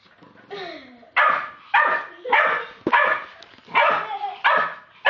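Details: Stella, a twelve-week-old Staffordshire Bull Terrier puppy, barks at an Old English Sheepdog: a whiny lead-in followed by sharp, high yapping barks repeated roughly every half second to second, each bright and slightly hoarse.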